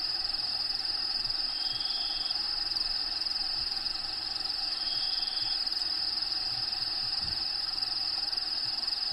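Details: A constant high insect trill comes from crickets in the vivarium of Diego the bearded dragon at feeding. Two thin whistled notes and scattered low thumps are also heard.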